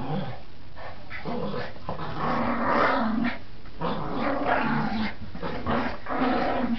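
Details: Playful growling from Border Terriers Gracie and Marvin tugging; a rumbling, uneven growl with shifting intensity and short breaks, continuing throughout.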